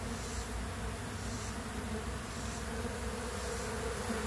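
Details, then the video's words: Robbing at a weakened queenless honey bee colony by a stronger colony; thick steady buzzing of many bees, low and unbroken across the short stretch. "Honey Bee Colony Being Robbed"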